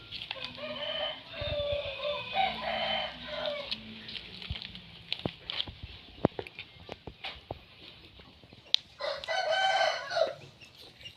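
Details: Newborn pups, nine born together, give bouts of overlapping shrill whimpers, pause amid scattered clicks and rustling, then erupt again in a short loud squealing burst near the end.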